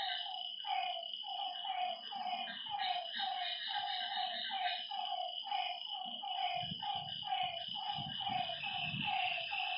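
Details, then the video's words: Night chorus of frogs at a lake, short croaking notes tumbling quickly one after another, a constant shrill insect hum above, and a few soft low rumbles toward the end. "Lakeside night creatures and frog sounds"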